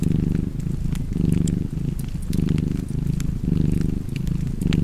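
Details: Cozy cat purr with fireplace: deep, even rumble pulsing in regular breaths roughly every second, bright snaps of burning wood crackling over it.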